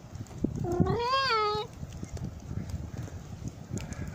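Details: Outdoor cats called over by a man offering Christmas wafer on Christmas Eve 2017 near midnight in Jaromin: one clear, wavering meow lasting about a second, amid rustling and low background noise.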